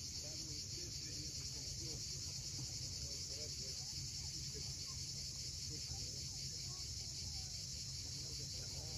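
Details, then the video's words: Cicadas on the steep coast of Crimea's Cape Fiolent at sunset: a seamless, high buzzing hiss, under which waves rumble and several small birds chirp and twitter intermittently. "Cicadas at sunset."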